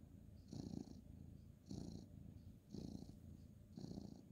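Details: Male ginger tabby cat being petted in bed for the night, February 2023; soft, rumbling purr rising and falling in four even breath pulses, gentle and close in a quiet room.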